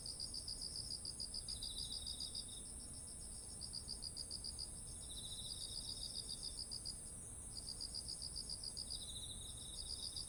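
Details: Autumn insect chorus by ripe rice fields, ZOOM H1essential recording: high pulsed chirping trills in bursts with short gaps, a continuous shrill ringing tone above, and a lower buzzy trill cutting in now and then.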